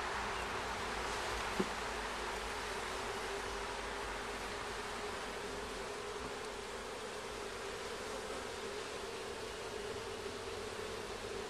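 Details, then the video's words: Honey bees at a hive during a first hive check, with comb found and bees carrying yellow pollen back on their legs. A dense, steady buzzing hum runs throughout, with one brief click early on. "Beehive Check"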